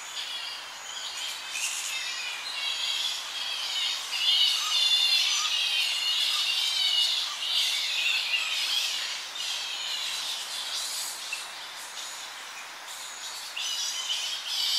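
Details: Evening colony of Tonga flying foxes with young bats squabbling nearby: continuous overlapping shrill chatter and harsh squeals, swelling and fading in waves, with a light wind moving through the tree.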